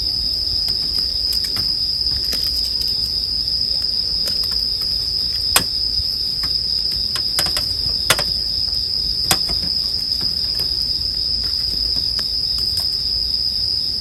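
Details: Bell crickets ring continuously in a high, even tone for sleep listening while a campfire crackles busily. Frequent pops and several loud sharp snaps cut across the insect drone.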